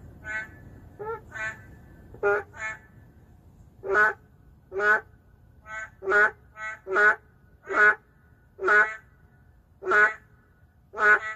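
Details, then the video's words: Narrow-mouthed frogs, an endangered species, calling within a city. Short, nasal, bleating croaks overlap irregularly at first, then become louder and more regular, about one croak per second near the end. "맹꽁이 울음소리"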